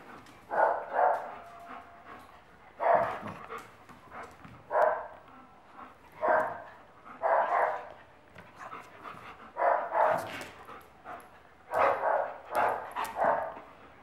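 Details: A playful Akita puppy gives bursts of gruff, growly barks and yelps in clusters every second or two, with short pauses between, while a person speaks Spanish nearby.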